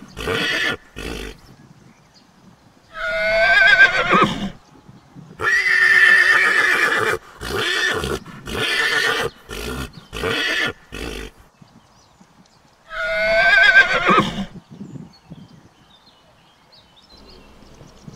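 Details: Young horse colt neighing repeatedly: quavering whinnies at the start and near the end, with a long series of choppy rasping neigh bursts in between, separated by short silences.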